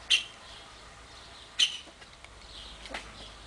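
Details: A young wild boar piglet being hand-raised, named Atila, gives two short, sharp, high-pitched squeaks about a second and a half apart.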